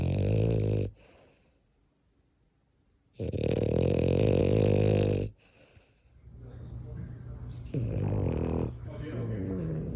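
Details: Snoring French bulldog. A short rattling snore is followed by a long, loud, buzzing one of about two seconds. Later the snoring turns softer and rougher.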